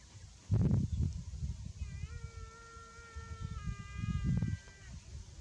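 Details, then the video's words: A buffalo calf that is too hot lets out a long, level, tonal moo-like bleat lasting about a second and a half, then a shorter second call, amid bumps and a continuous low rumble. "BUFFALO Baby Too Hot and Makes a Good Sound"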